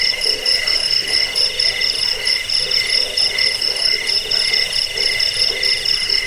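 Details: Crickets trilling continuously, a recording meant to repel rats, lull listeners to sleep and train caged birds; dense high buzzing layers with a rapidly pulsing upper tone and scattered soft low notes.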